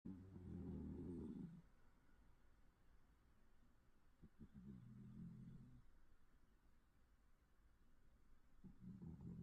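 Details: Sleeping cat snoring: low, rumbling breaths with a harmonic buzz, one long snore at the start and further softer snores a few seconds apart, in a quiet indoor setting.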